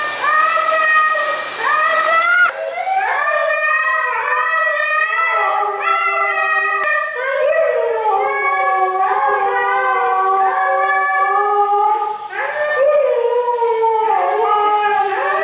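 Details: Dramatic Siberian Husky at bath time, voicing a long series of wobbling, sliding howls and yowls that swoop up and down, some overlapping, with a brief burst of water spray at the start.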